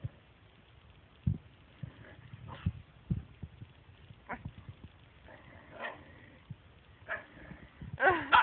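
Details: Dog objecting as its owners pet the cat, producing scattered short huffs and clicks, then several drawn-out, wavering talking moans in the second half, ending in a louder, rising whine-like burst.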